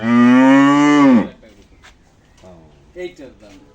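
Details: Farm cattle in Shahjadpur upazila, Bangladesh, before the Qurbani Eid; a single strong, even-pitched moo of just over a second that drops off sharply at the end, followed by people talking softly nearby.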